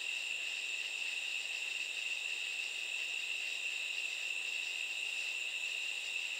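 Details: Katydids at night make a constant high, hissing insect drone with no breaks and almost no change in loudness.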